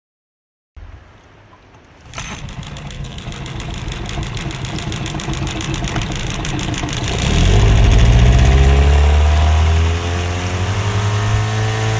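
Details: An engine turns over and starts, then idles with a steady low rumble that swells as it revs. No animal voices can be picked out.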